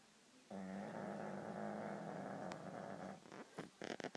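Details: A dog snores once, a long rasping breath of about three seconds with a low droning buzz, then it breaks off into a few soft clicks and rustles.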